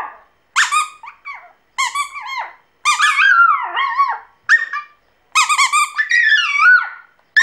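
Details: An orange Pomeranian puppy 'sings' in high, wavering whine-howls that rise and fall in short bursts.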